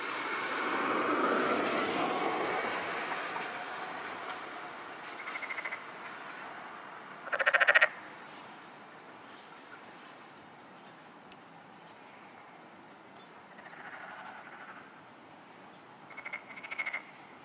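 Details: Black-spotted pond frog floating on the water, calling in the early morning during rain on 11 June 2009; a few short croaking bursts, the loudest near the middle, over a steady hiss of rain.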